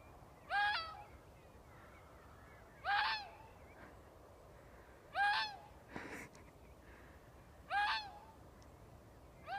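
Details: Fox giving a weird noise: five loud, harmonic, strained cries, each about half a second, with a sharp rise and then a falling tail, repeated roughly every two and a half seconds over quiet background hiss.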